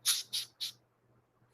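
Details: A captive Madagascar hissing cockroach, probably an adult horned male handled during rehousing, gives three loud, airy hisses in quick succession before a fourth begins.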